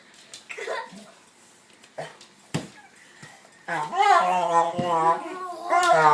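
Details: Basset Hound making odd vocal sounds during playtime indoors: a drawn-out, wavering, moaning howl with strong harmonics in the second half, after scattered short thumps and sounds earlier on.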